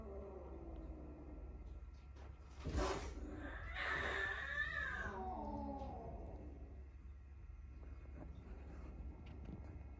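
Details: Kitten rescued from a hoarding house, startled by a noise; a sharp knock is followed by a drawn-out, wavering meow that falls in pitch, with a steady low hum indoors throughout.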